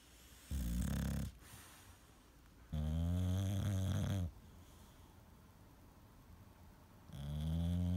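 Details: A male English Bulldog snores loudly while sleeping, in deep, rumbling bursts about every three seconds.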